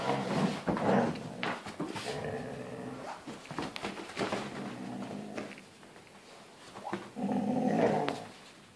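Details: Husky growling during a tug-of-war game with its son, indoors; several throaty, harmonic growl bursts, the loudest near the start and end, mixed with scuffling and clicks from play.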